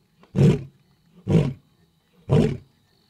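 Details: Male lion roaring at night right beside a safari vehicle in Africa: three deep, rough, grunting roar bursts about one second apart, heavy low rumble, each rising and falling quickly, little background noise.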